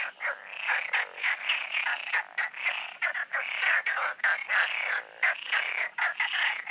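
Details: Night chorus of frogs at the Oasis ponds before the full moon, a thick stream of rapid rattling croaks in short pulsing bursts, several calls overlapping, almost without pause.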